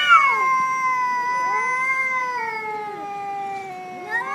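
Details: Jerry, a black cat, fighting on a jetty of a cat island: one sustained, wavering caterwaul held for several seconds, pitch sliding slowly down toward the end, a sharp rise at the start and close.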